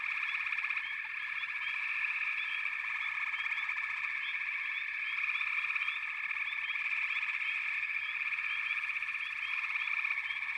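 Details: Frogs call en masse in a constant, vibrating chorus; frequent quick rising chirps ride over the dense trill throughout.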